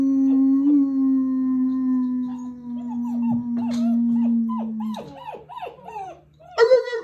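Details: After breakfast on 21 January 2022, German Shepherd pups answer a started howl: a long, low, steady note gives way to a chorus of higher, wavering, broken yips and short howls overlapping one another.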